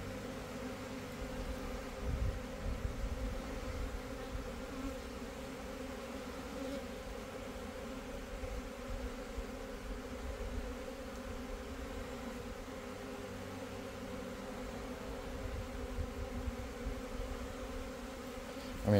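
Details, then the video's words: Italian honey bees in swarm mode, a large swarm from a backyard hive ignoring the nearby beekeeper; a continuous deep, even buzzing hum of countless wings with slight swells in loudness. "Swarming Bees Honey Bees Italian Honey Bees in Swarm Mode"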